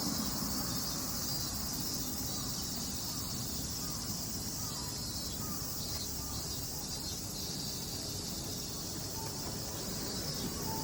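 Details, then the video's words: Minmin cicadas in summer, recorded on 18 August at 17:04: a steady, shrill insect drone holding high bands throughout, over a constant low rumble of background noise like distant traffic or wind. "ミンミンゼミの季節⭐︎The season of Minmin cicadas"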